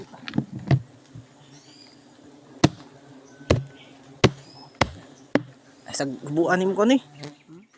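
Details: Honey bees disturbed during a honey harvest: a steady low droning hum runs under the whole stretch, broken by sharp knocks and taps, with a man's excited voice rising over the buzz near the end.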